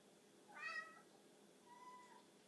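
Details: A pet cat making weird noises at a tiny bug: a loud harmonic chirping burst, then a softer drawn-out level mew about a second later, in a quiet room.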